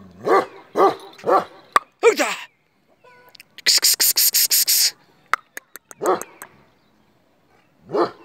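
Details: A male Kashmiri Eksaya, a Himalayan livestock guardian dog breed known for ceaseless barking, gives deep, resonant barks in quick bursts, about two per second.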